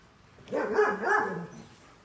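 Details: A single drawn-out puppy bark or yelp lasting about a second, wavering in pitch, against a quiet background.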